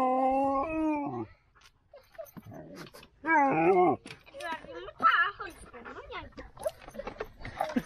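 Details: Stuck Siberian Husky puppy lets out a drawn-out, wavering howl-like whine for just over a second, then breaks into choppy, talkative vocal bursts mixed with French speech nearby.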